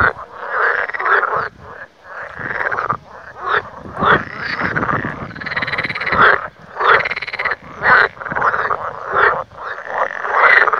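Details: Frogs calling in a remote Lithuanian spot far from people. A loud, dense chorus of rattling, quacking croaks swells and fades in overlapping bursts, with only brief pauses between waves.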